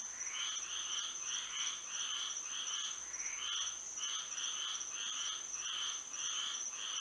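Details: Nighttime frog chorus in Florida by moonlight: many overlapping croaking notes, each a short buzzy burst, tumbling irregularly every half second or so against a constant thin high-pitched drone.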